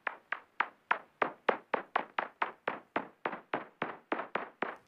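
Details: A bat's echolocation calls at night, recorded with an ultrasound bat detector that converts them to audible sound, come as a steady run of dry knocks, like knocking on a door or banging a table.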